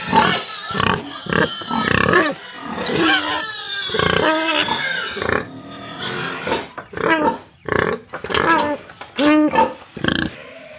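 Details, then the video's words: Pigs and piglets at a Tripura farm giving loud, rough squeals and grunts in bursts, long wavering cries early on, then short sharp squeals packed close together toward the end. "animals Pigs & Piglets sounds"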